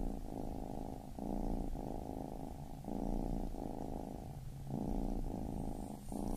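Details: Baby kitten purr, a low continuous rumble in long strokes of about a second each, separated by short gaps where the breath turns, swelling and fading gently in a quiet indoor setting.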